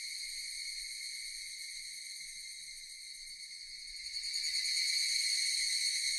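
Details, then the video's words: Japanese cicadas droning steadily in a high, metallic buzz that eases slightly, then surges louder and denser after about four seconds as more insects seem to join in. "Japanese cicadas Sound effect"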